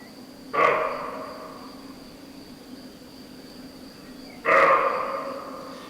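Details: Roe deer in the Villuercas, Extremadura, Spain, at half-light give two harsh, hoarse barks about four seconds apart, each echoing off a quartzite ridge, over a faint steady high-pitched hum.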